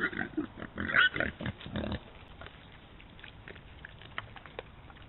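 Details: Wild boars feeding on the carcass of a dead red deer stag give a quick burst of rough, snuffling grunts and squeals, then fall quiet.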